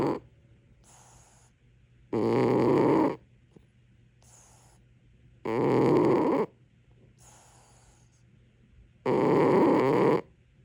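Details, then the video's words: Domestic cat snoring in its sleep: three heavy, grating snores about three and a half seconds apart, each followed by a soft hissing exhale, with no other sounds around. "코골이 고양이"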